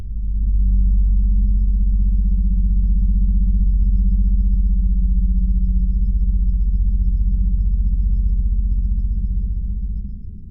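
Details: Blue whale sound sped up ten times to reveal a masked hum: a steady, very deep droning tone with a fast, even pulsing texture, rising in at the start and fading at the end, with nothing else heard.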